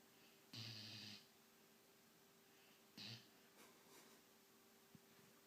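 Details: White German Shepherd puppy Nanook, 17 weeks old, snoring while asleep: one long breathy, rasping snore, then a shorter one about two seconds later, followed by faint soft snuffles over a steady low electrical hum indoors.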